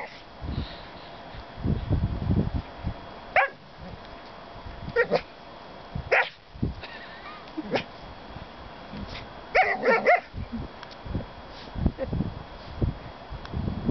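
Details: Gringo, a Border Collie, playing and digging on the beach at Le Touquet-Paris-Plage, lets out short, sharp barks scattered through the clip, with a whimper among them, over a steady hiss of wind or surf.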